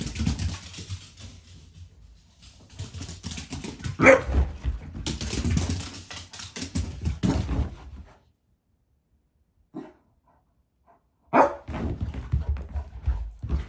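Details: Beagle during a busy evening indoors, giving short loud barks in two bursts, around four seconds and again near eleven seconds, separated by quiet stretches, with scuffling and tapping noises in a small room.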